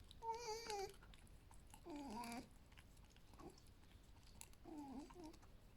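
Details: Alf, a pet male fox, vocalizes indoors while eating breakfast after a good rest, ready for a walk: three short wavering whine-like tonal calls with rich overtones, spaced about two seconds apart, in a quiet room.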